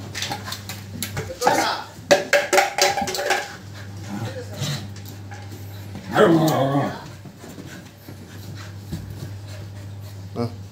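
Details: Siberian husky puppy playing and fighting with his brother indoors: irregular bursts of short growly yelps and whimpers, loudest around two and six seconds, over a steady low hum, with human speech and background music.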